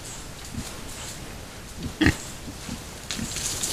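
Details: Wild boar (Sus scrofa) with piglets in Yaremovskiy Nature Reserve, 17 July 2017, giving soft, low grunts at irregular intervals with one sharper squeak.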